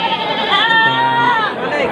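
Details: One drawn-out, nasal bleat lasting about a second from a Peranakan Etawa breeding goat at the Pasar Kliwon Dongko market in Trenggalek, recorded on a rainy morning, with people talking in the background.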